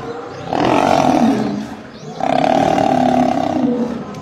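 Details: Lionesses attacking a male lion in Gir Forest: two long, harsh sustained roars, each about one and a half seconds, separated by a short gap.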